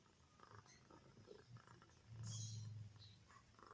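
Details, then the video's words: Comel, a pet cat asleep with nothing beneath it, ears twitching, lets out one low, rumbling snore that swells for under a second midway. Soft, faint breathing fills the rest, with a quiet indoor background. "kucing tidur tanpa alas- Janji gak ngorok Eh Ngorok"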